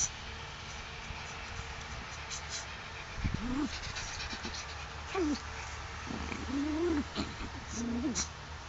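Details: Five Tibetan Spaniel bitches in heat at a kennel: short tonal whines that rise and then fall, heard four times in about five seconds with gaps between them, over a steady low hum and faint rustling.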